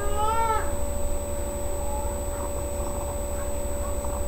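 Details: Sasha, a female pet cat, in labour with her litter of three on 14 May 2011, gives one short, bright meow that bends down at the end, then silence apart from a constant background hum.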